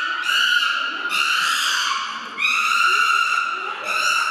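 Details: Chimpanzees, including a baby chimpanzee eating salad, give loud, shrill screams in long overlapping bursts, each rising slightly before falling away.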